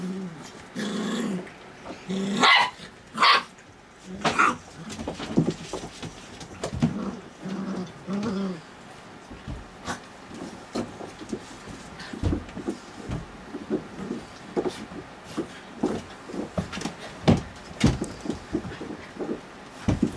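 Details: Puppies at play at night: several growls and sharp little barks early on, then quieter scuffling, clicks and tapping as the play continues indoors.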